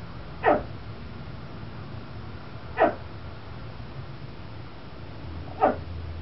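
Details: Indoor pet Chihuahua named Vespa threatening a school bus crowd from a bay window, with another house dog, Tucker, joining in; three short, abrupt barks, each separated by a pause of a couple of seconds, over low background rumble.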